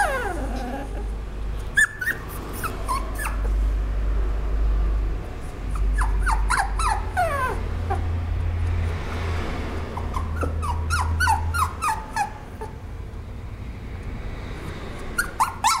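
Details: Cavapoo, a Toy Poodle and Cavalier mix, giving short high whimpering squeaks in scattered bursts over steady low rumbling background noise.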